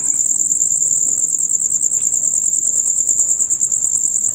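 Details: Male crickets chirping from dusk until dawn: a loud, rapid, unbroken high trill pulsing about three times a second, steady throughout, over a faint low background hum.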